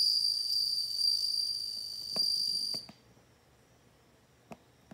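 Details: Ringing high trill of a bell cricket lasting nearly three seconds, followed by quiet with a few faint clicks.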